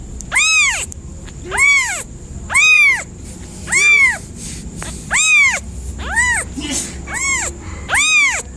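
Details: A cat repeats evenly spaced, arched meows, each rising and dropping in pitch, about eight in nine seconds, separated by short quiet gaps with low background hum.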